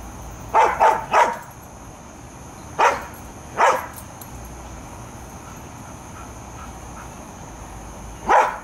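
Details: Airedale Terriers Bailey and Lexie guarding a yard against varmints, possibly at night; six sharp barks, three in quick succession, then two spaced apart and a last one after a long pause, over a steady background hum.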